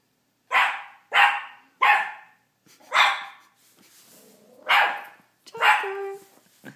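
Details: Small teacup Miniature Pinscher yapping at his own reflection indoors: a run of six sharp, high barks, the first three rapid, then spaced out with soft snuffling and low whining between them.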